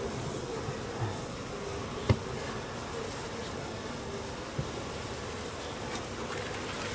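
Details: Japanese honey bees buzzing during the second swarming of an overwintered home colony, the swarm being taken into a hive; a dense, steady low hum throughout with a couple of brief knocks.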